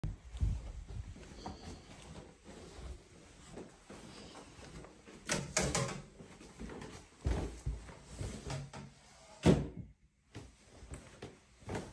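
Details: Thumps, door-like bangs and shuffling sounds come from indoors; no animal call is heard.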